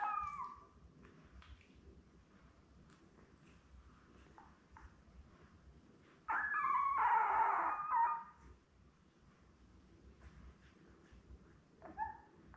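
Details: Newborn Lab puppies, a litter of seven born May 24, 2021, with mother Belle on a June 4 live puppy cam. Mostly quiet background hum, broken by one loud, rough two-second squall midway and faint short whimpers at the start and end.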